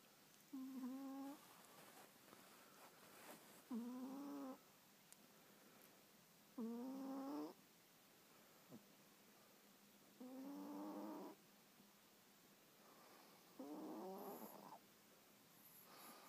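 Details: Three-year-old pet Pomeranian snoring while asleep: five drawn-out, whistling, slightly rising nasal snores about every three seconds, each lasting about a second, over a quiet background hiss.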